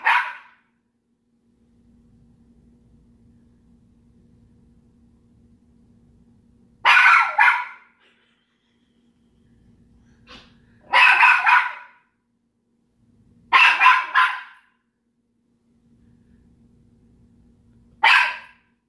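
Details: Petunia, a pet dog, barking at Daisy, another household pet. Five sharp, harsh bark bursts at uneven intervals across nineteen seconds, several of them doubled. A faint low hum fills the quiet gaps between them.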